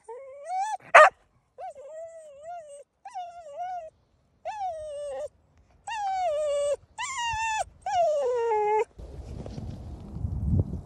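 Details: Excited cocker spaniel in the woods during a game of hide and seek; wavering nasal whimpers and drawn-out whines with one sharp bark early on, ending in rustling noise.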